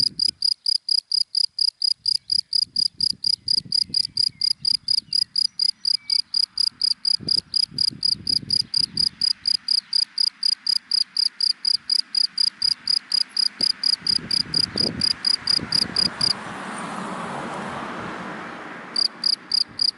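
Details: Cricket calling from dry grass in the daytime: a steady run of short, high chirps about four per second, stopping near the end then resuming, over low rumbling of passing cars.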